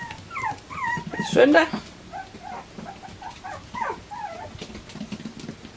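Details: A litter of Bichon Frisé puppies, litters O and P, whining at a Danish kennel: a run of quick, wavering high whimpers, a burst of clatter, then more bending squeaks as a person speaks in Danish.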